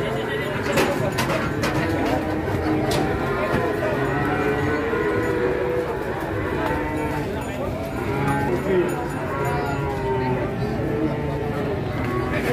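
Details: Angry cattle being unloaded from a truck in Indonesia, long wavering moos with stacked harmonics overlapping through a loud, dense background of clatter, shouting people and music.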